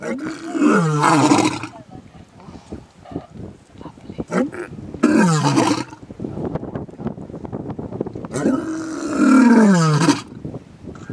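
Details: Lion giving three loud, deep roars that fall in pitch, each lasting one to two seconds, with quieter grunts and faint voices between them.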